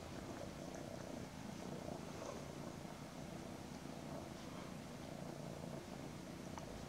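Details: Mother cat cuddling two kittens nearly ten weeks old, giving a continuous low purr. The rough, pulsing hum holds at an even level throughout, with light background hiss.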